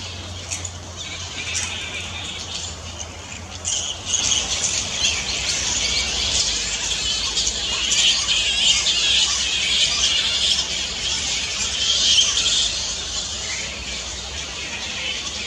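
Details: Native Australian fruit bats at Camelia Gardens, Caringbah, Sutherland Shire, behaving naturally; a dense, continuous chorus of shrill squeals and chattering squawks that swells and fades, with low hum underneath.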